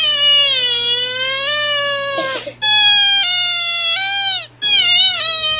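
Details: A frog screams loudly and piercingly in a very high, richly harmonic wail. The call is nearly continuous, broken twice by brief gaps of about half a second, and shows wavering inflections near the end.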